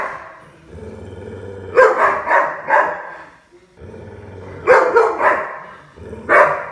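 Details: Playing puppy giving two bursts of sharp, yapping barks, three or four in quick succession each time, with a low steady hum filling the quieter gaps.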